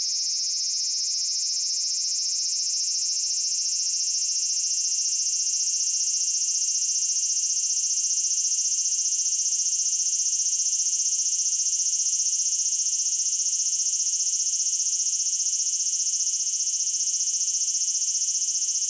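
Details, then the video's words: Cicada singing in Japan: a loud, continuous high buzzing drone, steady and unbroken for the whole stretch, with no other sounds. "Cicada Sounds and Cicada Songs"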